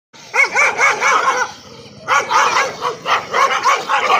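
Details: A dog barking in two rapid bouts of sharp, high, ringing yips, about five per bout, separated by a short pause near two seconds.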